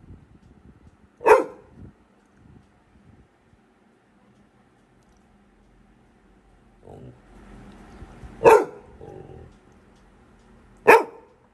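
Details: A Labrador Retriever puppy at home gives three sharp, loud barks a few seconds apart at no one visible; the owner asks who it is barking at and jokes it is scared of a ghost.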